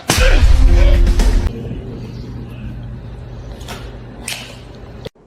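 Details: A loud whip-like swish and slap over music, then a low steady hum with two faint whooshes before a sudden cut; no animal call is heard.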